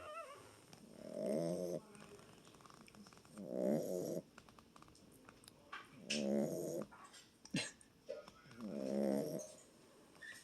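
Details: Small boxer dog snoring, four rhythmic rasping snores about every two and a half seconds, each a buzzy vibrating breath, with brief clicks and rustles in the quiet gaps.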